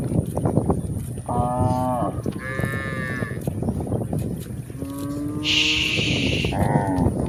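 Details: On a hill walk, cows call in several separate moos, some low and steady, others higher and strained, one ending in a hoarse, raspy burst, over constant footsteps and rustling.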